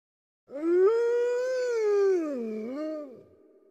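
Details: Gray wolf (Canis lupus), howl.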